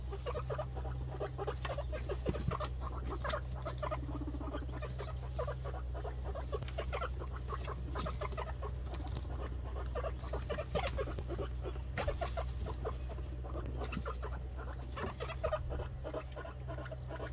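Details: Introduction of guinea pig boar Ragnar to Snow, a white sow: a long run of fast, clipped mid-pitched pulses and scuffling noises, occasional sharper clicks, with a steady low hum beneath.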